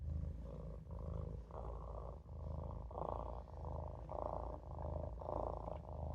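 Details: Maine Coon kitten Olof dozing in the sink, purring loudly; the rumble brightens on each breath, about once every second, in a steady rocking rhythm.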